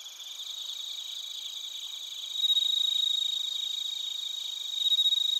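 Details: Bell crickets and crickets in Narita, Chiba, Japan, recorded with a TASCAM Portacapture X8: a high, dense trilling chorus with a close, clear ringing note that becomes louder partway through and again near the end.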